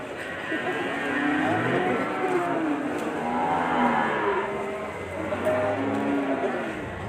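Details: A large, calm bull that is not aggressive. Several cattle give overlapping moos, some low and buzzy, others higher and bending, over background music and crowd chatter.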